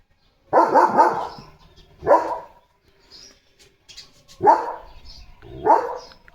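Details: Leo, a German Shepherd, barks after seeing a tractor move in front of the house. A quick burst of three low barks is followed by single loud barks spaced about one to two seconds apart, with faint bird chirps between them.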